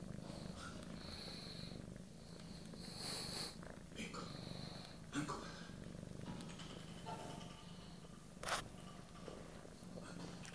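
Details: Little female cat in a cuddling mood, kneading a blanket with her paws and sucking it; a steady deep purr runs throughout, overlaid by light sucking clicks, fabric rustling and a sharp knock.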